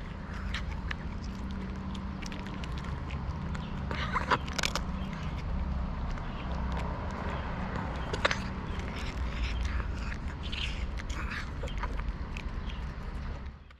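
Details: Tuxedo cat purring loudly while being petted: a steady, low, rumbling drone that runs through the whole stretch, with scattered clicks and soft rustling from handling on top.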